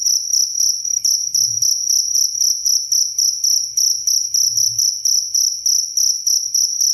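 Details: Clear cricket chirping, offered as a bird-tutoring and relaxation sound: shrill, ringing high pulses grouped into short bursts repeating several times a second, with a brief faint low rumble in the background.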